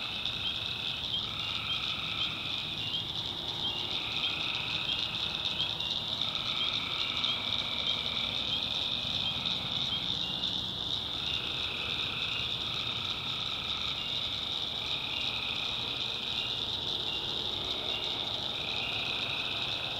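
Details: Dense nighttime tree frog chorus from a North Carolina swamp, a ceaseless high-pitched trill layered with intermittent mid-pitched calls that pulse on and off every one to two seconds across the whole stretch.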